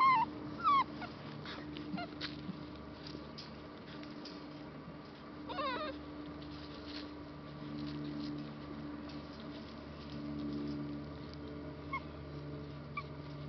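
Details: Three rescue puppies, a Labrador Retriever and Bullmastiff mix awaiting adoption, give short, thin, high whines that slide downward in the first second and again near six seconds. A steady low electrical hum runs underneath.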